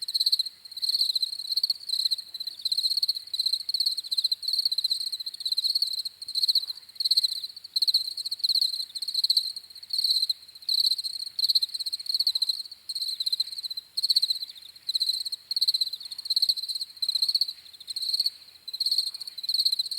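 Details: Several crickets keep up shrill, buzzy chirps in pulsed bursts, roughly eighty a minute and irregularly spaced. Their calls overlap into an unbroken high chorus with a quiet background.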